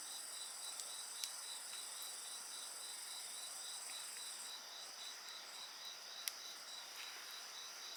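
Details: A chorus of insects keeps up layered, ringing high trills, one band faintly pulsed; scattered crackles and sharp pops come from a nearby bonfire.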